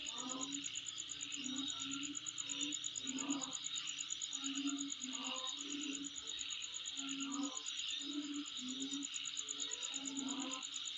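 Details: Insects calling at home: a steady high shrill chorus with a fast, even pulsing buzz on top, under low hooting tones that come and go every second or so.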